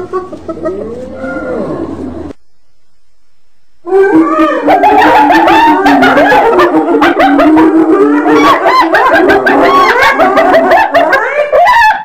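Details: Several hyenas calling together: a wavering, rising and falling whine at first, then after a short silence a dense, loud chorus of overlapping giggles, whoops and cackles.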